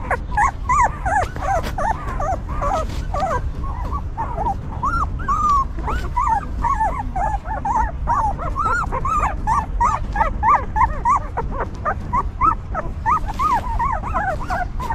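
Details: A litter of newborn puppies beside their stray mother dog, who keeps them warm and clean; a continuous chorus of thin, arching whimpers from several pups, rapid and uneven throughout, with low rumbling underneath.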